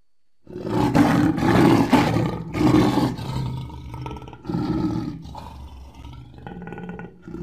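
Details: Lion roaring loudly after a brief silence, rough and moaning with deep rumbling, louder bursts early then fading into grunting, rasping roars toward the end.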